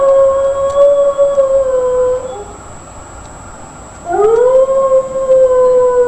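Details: Loud dog howl, a sustained, even tone that slowly sags in pitch and breaks off after two seconds; a quiet gap follows before a new howl swoops upward and holds steady to the end.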